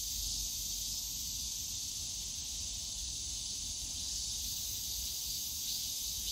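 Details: Cicada chorus in the Yongsan Family Park bamboo grove on a summer day, a constant high sizzling drone, slightly quieter, with a faint thin whine near the end and low park rumble.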